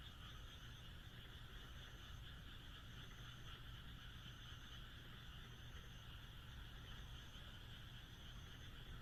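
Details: A chorus of frogs calls through a moonlit countryside night in Japan, an even, overlapping trill of many voices, while short high buzzy notes recur roughly every second and a soft low rumble persists.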